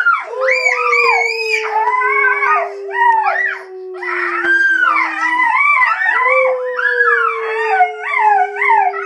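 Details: Henry howling together with Sid the Dog and Rocky in early April 2011: one long, steady howl slowly sliding lower while other wavering, higher howls rise and fall over it, with a short lull near the middle.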